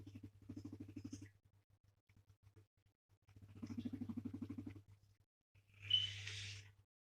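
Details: A petted male pet guinea pig rumbles while being stroked, in two bursts of quick low pulsing purr separated by quieter sputters, followed by a brief hissing rustle near the end.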